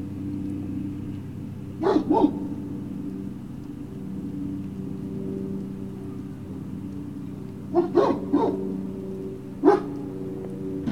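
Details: Great Danes at Puppy Hill, recorded on 19 February 2019 between 19:45 and 20:45: a quick pair of sharp barks, then quiet, then three more scattered barks, over a steady low hum and rumble.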